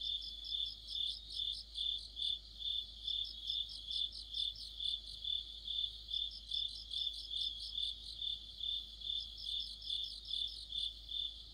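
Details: Crickets and other insects chorusing in the depth of autumn, near a streetlight: a steady high trilling band with pulsed chirps layered above, swelling and fading about twice a second, unbroken for the whole stretch.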